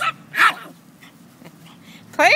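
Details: A Chihuahua at play with a puppy gives a short yelp, then a louder bark, a quiet stretch with soft growling, and a final rising, whining yelp.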